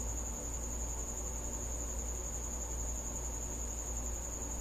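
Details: A cricket visiting a house at night, giving a continuous, very high, steady trill that holds one pitch without a break, over a low indoor rumble.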